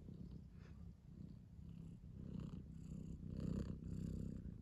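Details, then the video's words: Sleepy pet cats purring softly indoors, a low steady rumbling purr running continuously through the clip with slight swells in loudness. "Sleepy Cats"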